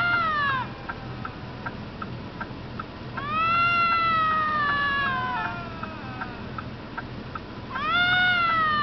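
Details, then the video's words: Bobcat screaming while fighting: long, wavering, harmonic yowls that slide downward and swell, one at the start, a drawn-out one from about three to six seconds and another rising near the end, with short clicks between and a steady low hum beneath. "bobcat screaming, bobcat fighting"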